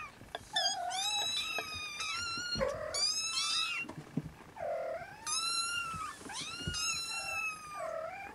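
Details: Siamese kittens that won't settle for a nap next to their mother Siamese cat; bright high-pitched mews mixed with shorter, lower nasal squeaks, coming in clusters with brief pauses, several kittens calling at once.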